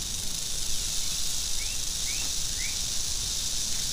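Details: Angry western diamondback rattlesnake makes a steady, dry, hissing buzz that fills the high range through all four seconds without a break. A few short, rising chirps, probably from birds, sound faintly in the background.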